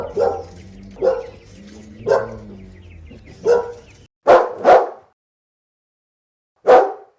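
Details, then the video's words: Barking dog from a mixed-breed collection of large and small dogs: repeated rough barks over a low droning background, then a quick clean double bark and one final bark after a pause. "51 Cachorros Latindo - Som de Latido de Cachorros Variados"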